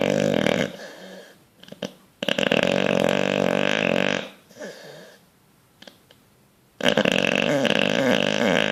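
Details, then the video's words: Bulldog fast asleep, dreaming and twitching, indoors: loud, harsh, rattling snores in long drawn-out bursts of one to two seconds, separated by quieter gaps of soft breathing. "Bulldog snoring dreaming twitching"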